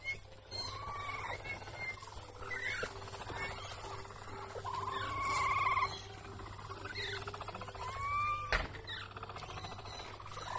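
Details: Young capybara squeaking: several thin whistled squeaks, some sliding upward and others dropping, spaced irregularly over about ten seconds against a faint constant low hum.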